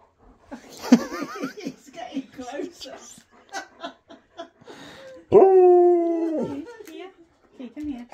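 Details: Siberian Husky at Christmas calling on its best friend: soft whines and chatter mixed with people talking, then a strong sustained howl of about one second that falls slightly, followed by quieter whimpers.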